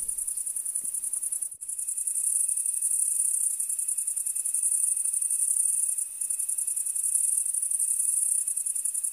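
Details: Many crickets chirp together across a field in a high, shimmering, steadily pulsing chorus.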